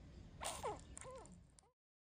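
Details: Shih Tzu puppy at four weeks old giving short, high squeaky whimpers with wavering pitch, a few quick yelps clustered in under two seconds, followed by silence.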